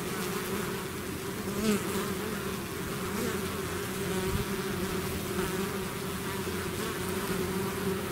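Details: A swarm of bees that has left its hive, droning steadily; overlapping buzzes hold a constant level, with occasional nearer insects briefly louder.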